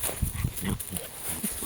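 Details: Jack Russell Terrier, one of the pair Treisy and Azzuro, giving short low rough growling bursts about every quarter second while a person speaks Latvian commands close by.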